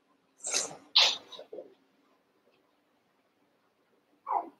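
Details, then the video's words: Eight Cavalier King Charles Spaniel puppies, about one month to seven weeks old, wrestling and playing together in a barn puppy pen; three quick, bright yipping bursts close together, then silence and one last short yelp. "One Month Old Cavalier Puppies Wrestle and Play"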